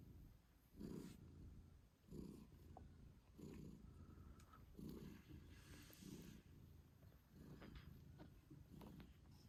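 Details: British Shorthair mother cat purring loudly while nursing eight-day-old kittens, the purr swelling in clear pulses about every 1.2 seconds on each breath, faint clicks and rustles between.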